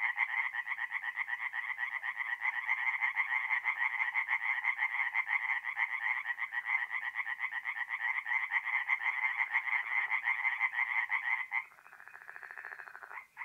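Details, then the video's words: Night chorus of tree frogs at a forest pond in North-East Italy, mid-April. A steady, loud rattling croak pulses about twice a second for over eleven seconds, then abruptly gives way to a softer, quieter call. "relaxing forest pond by night with singing tree frogs"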